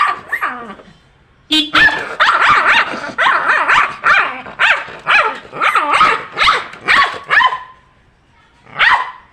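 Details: An angry dog barks at the sound of a horn. A short steady horn note is followed by a string of strident barks, about two per second, with a pause before one final bark.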